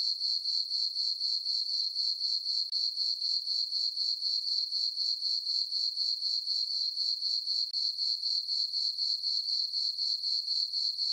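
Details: Crickets chirping on a peaceful summer night in a farm meadow under a full moon: a high, steady trill pulsing evenly about four times per second, unbroken throughout, with no other sounds.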